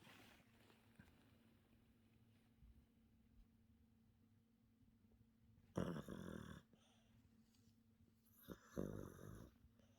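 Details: Sleeping Yorkshire Terrier snoring indoors in a quiet small room: soft, low rasping breaths over a steady low hum, with two louder broadband snorts around the sixth and ninth seconds.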